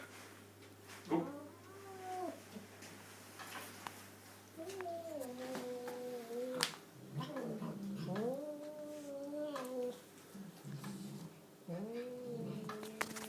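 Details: Domestic cat making funny noises, a series of tonal, wavering meows with rising and falling contours, several drawn out over a second or more, with a few brief clicks and thumps between calls.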